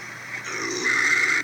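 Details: A bobcat, said to be feeding its young, gives a raspy, breathy growl that holds steady and grows harsher and louder near the end.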